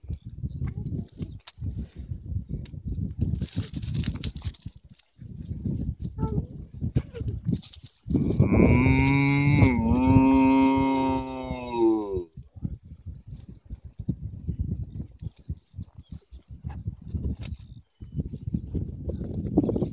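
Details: A cow on a field in Ireland gives one loud, sustained moo that bends slightly downward and lasts about four seconds; quieter low rumbling and scattered rustles fill the rest.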